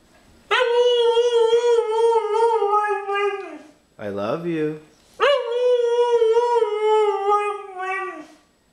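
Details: Indoor female pet dog "talking": two long, steady, wavering howls about three seconds each, separated by a short human spoken phrase in a small room, with affectionate praise from her owner around them.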